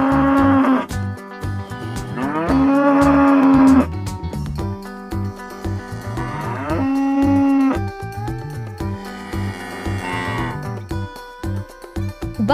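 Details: Farm cow lowing in four long, tonal moos, each about a second or more, spaced a few seconds apart over constant background music.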